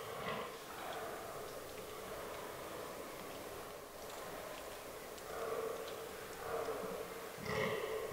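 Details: Fallow deer bucks during the autumn rutting season in a forest, in a herd that includes albino and melanistic animals: harsh, belching grunts in short bursts near the start and again three times toward the end, over a soft, steady background hiss.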